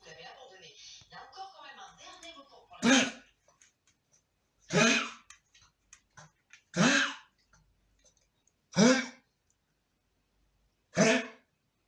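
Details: A 13-year-old blind and deaf male Shih Tzu with a bad cough, seen by a vet and X-rayed, coughs in short, harsh, honking bursts about every two seconds; 15 June 2023.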